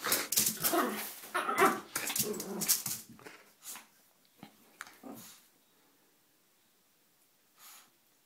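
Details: Small 4 lb female Yorkie in a feisty, wild mood: rapid string of snappy, rough barks and growls packed into the first three seconds, fading to a few isolated yips and near silence.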